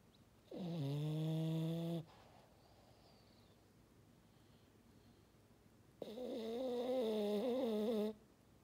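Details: Snoring French Bulldog called Maddi, two drawn-out foghorn-like snores, the first a smooth low drone, the second longer and slightly wavering, separated by about four seconds of near silence indoors.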